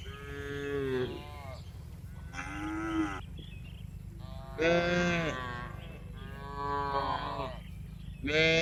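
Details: Several tame farm cows moo while they are herded back to the barn in the afternoon. Five overlapping, rich, nasal moos come in irregular succession, some rising then falling, with a low rumbling background throughout.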